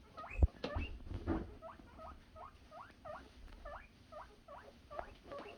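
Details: Several guinea pig boars making happy noises in anticipation of food: a steady series of short, rising squealed whistles repeated about twice a second, with a few soft knocks and rustles near the start.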